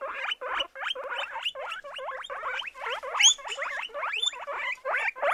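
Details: Guinea pigs calling with a rapid run of short squeaky notes, each rising then falling, roughly five per second and steady throughout, with one brief higher whistled note near the middle.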